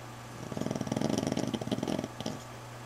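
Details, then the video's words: Wounded female dog sleeping indoors while her injuries from a dog fight heal, drains in her leg: a rough rattling snore lasting about one and a half seconds, pulsing rapidly, over a steady low electrical hum. "Snoring Dog"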